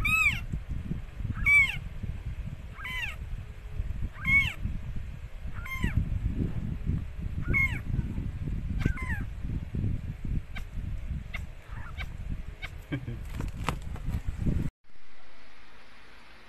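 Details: Mikey, a rescued stray cat, giving birth to four same-coloured kittens: short arching meows repeated about every 1.5 seconds for seven seconds, then scattered sharp clicks over a steady low rumble, ending in an abrupt cut to soft hiss.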